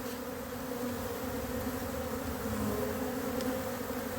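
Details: Honey bees around very active colonies in an apiary as cold weather sets in, young bees that have never left the hive making orientation and cleansing flights; a steady, low droning hum holds for four seconds over faint outdoor hiss.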